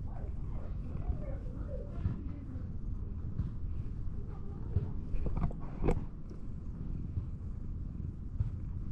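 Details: Sullen-faced cat rolling over to show its belly while seeking affection; steady low rumbling purr throughout, with a few soft rustling and touching noises and a brief sharp tap near the six-second mark.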